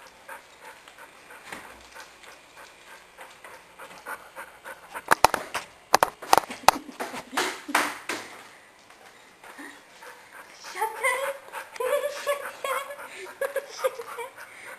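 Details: Blind, diabetic male Dalmatian–Basset Hound mix with a lazy eye, panting in quick uneven breaths mixed with sharp clicks and taps, then shifting to a wavering, tonal whine in short repeated bursts over the last few seconds.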